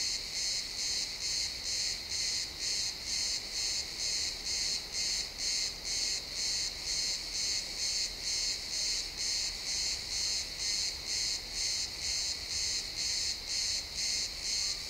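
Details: Crickets chirping in a pine forest at sunset, recorded in XY stereo: steady high-pitched pulsed trills repeating about twice per second, evenly spaced, with no other clear sounds over faint low background.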